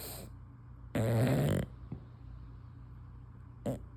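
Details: Dozing female English Bulldog, tongue hanging out, lets out a single harsh, rumbling snore of about half a second, framed by soft, airy breaths before and after.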